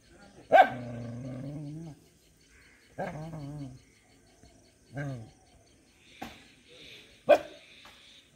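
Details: Dog barking in a series: a loud bark trailing into a long wavering whine, then several shorter barks with falling tails spaced a second or two apart, with a person's voice briefly heard.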